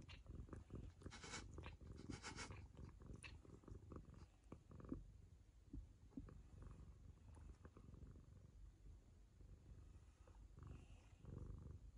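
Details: Ragamuffin cat licking the owner's daughter as a sign of affection indoors, a steady low rumbling purr throughout with scattered wet licking clicks and rustling on top.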